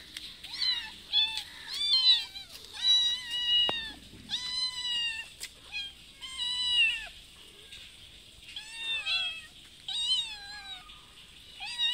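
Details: Mother cat with a little kitten, visiting a house twice a day for food, meowing repeatedly while asking to be fed; a rapid series of short harmonic meows, some rising and others falling, with brief pauses between them.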